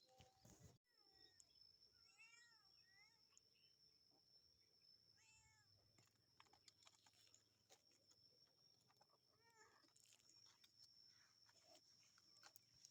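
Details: A cat climbing trees gives soft, arched meows in short clusters near the start, middle and end, faint beneath a steady high-pitched whine and scattered rustling.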